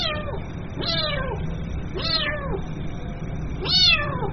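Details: A young kitten calls for its mother with four sharp, descending meows spaced roughly a second apart, the last one louder and brighter, against a low constant rumble.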